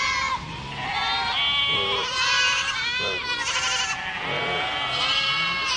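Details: Overlapping goat bleats, shaky and nasal, rising and falling in pitch, come in quick succession with barely a pause between callers.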